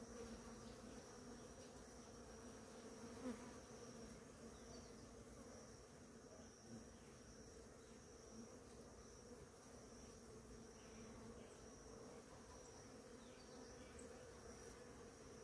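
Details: Crowds of bees feeding on flowering ora-pro-nobis produce a long, continuous droning buzz, fairly even in loudness with one brief louder bump early on and a faint steady high whine.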